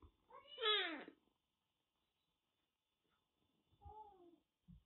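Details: Rescued kitten with a bad cat cold, found soaked in heavy rain in western Japan and now kept indoors; one loud, drawn-out meow rising then falling, followed by a softer, shorter mew, otherwise quiet.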